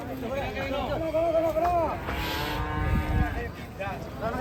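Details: An angry, rampaging cow lets out a drawn-out, harmonic moo that bends and falls, then a second long, steady low moo, with people talking in the background.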